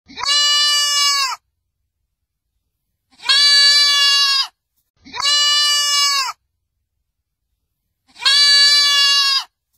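Young goats bleating: four high, steady, nasal cries, each a little over a second long.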